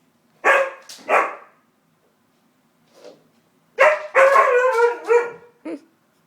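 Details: Samson, a white husky kept as a pet, barks indoors in a small room in protest at the hoover: two loud harmonic woofs, a faint one, then a rapid run of rising and falling yowling barks and a short final yap.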